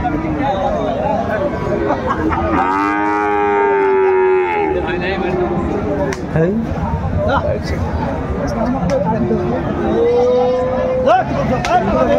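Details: Sahiwal bull calves for sale at a Kurigram market, Bangladesh, 22 March 2025: one steady moo of about two seconds rises and fades, and a short higher bleat follows later, with continuous crowd noise and voices throughout.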